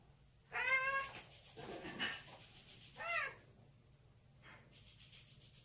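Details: Indoor pet cat wearing a bell collar, greeting its owner: two short, clear meows about two and a half seconds apart, with faint bell jingles and soft rustling between them.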